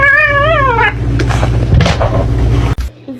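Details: A kitten gives one wavering, slightly falling meow lasting under a second. People then talk and laugh over a steady low hum.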